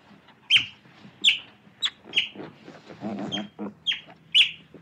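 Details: Otter calling with a series of piercing high squeaks spaced roughly every half to three quarters of a second, interrupted near the middle by a short burst of low, buzzy grumbling chatter.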